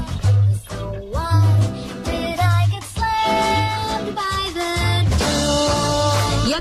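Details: A song plays throughout, with a voice carrying the melody over guitar and a thumping bass beat. No animal can be heard.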